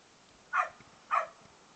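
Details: Playful barking from Beau, a male foster dog of Australian Cattle Dog and English Setter mix: two quick, bright barks roughly half a second apart, with quiet background.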